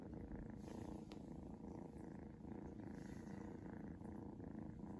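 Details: Shadow, a Seal Point Ragdoll kitten, purring while being patted and showing affection; a steady low rumbling purr with fast regular pulses throughout, close and continuous, in a quiet indoor setting.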